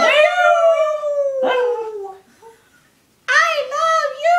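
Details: Three-year-old pug and Shih Tzu mix dog making a talking, 'I love you'-like sound: a long smooth falling howl-like moan, a pause, then wavering yowling syllables rising at the end, loud and clear.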